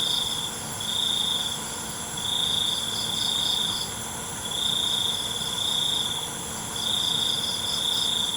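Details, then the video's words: Night-time crickets: high, buzzy trills roughly one to one and a half seconds long, broken by short half-second pauses, with a thin rippling chirp above and a steady hiss throughout. "ALUNAN CENGKERIK MALAM"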